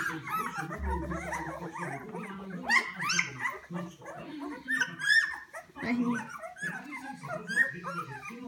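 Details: A kennel litter of hungry Poodle puppies whines and squeaks in short, high, wavering cries scattered over low conversational speech, with a brief louder cluster of yelps midway.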